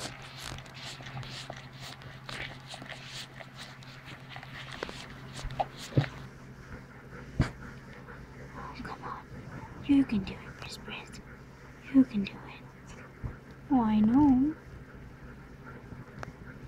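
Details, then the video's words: Standard poodle Brizz whelping her second litter of seven puppies on 6/3/14, at the birth of the seventh pup indoors; people talk over soft rustling, then three short, high whining squeaks with a wavering tone break out near the end. "Standard Poodle Giving Birth"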